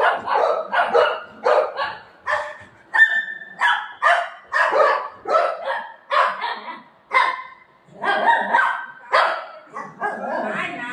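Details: Golden Retriever playing with its owner; a rapid run of short, sharp barks and yips, roughly two per second, some with a higher whining edge, continuing steadily throughout.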